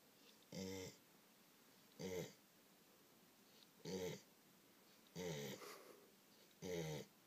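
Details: An English Springer Spaniel, after a rough day of eating lots of food and playing with children, snores in loud, rattling bursts with a gobbling, turkey-like tone.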